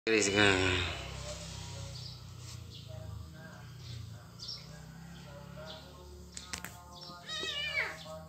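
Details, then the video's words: Kitten, described as a poor little one, crying: a loud rising-and-falling mew at the start and another drawn-out wavering mew near the end, with a steady low hum and quieter faint sounds between. "anak kucing nangis"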